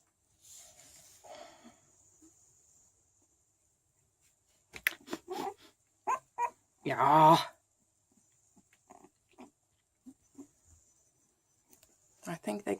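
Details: Chow Chow puppies, 13 days old, from a small kennel's sixth litter in Sweden: short high squeaks, then a loud harmonic squeal near the middle, mixed with a woman's soft talking to the pups.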